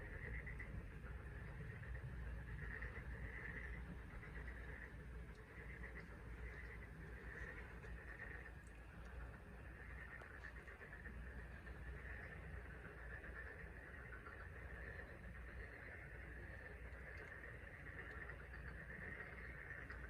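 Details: Frog chorus on the Taean Peninsula, South Korea: many overlapping calls form a steady, pulsing mid-pitched band over constant low rumbling background noise.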